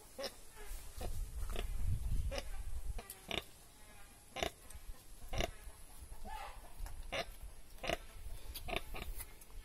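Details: Young pigs on a village farm, giving short low grunts in an uneven run through the first few seconds, then a scatter of sharp clicks and knocks, with a person speaking nearby.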